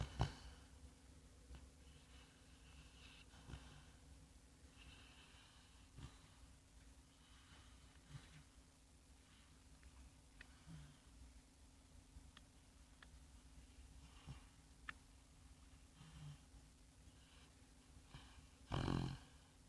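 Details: A sleeping sandy Labrador Retriever named Bongo snores softly "like a piglet", with low, breathy rumbles and an occasional snort.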